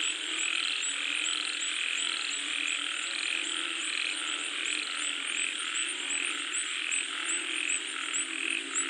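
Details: Frogs in the rain: a busy chorus in which short, bright croaks recur in an uneven rhythm and swell and fade slightly, set against a steady background hiss.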